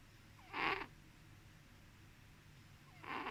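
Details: Domestic cat, sleeping, gives two short breathy snores about two and a half seconds apart, with near silence between them.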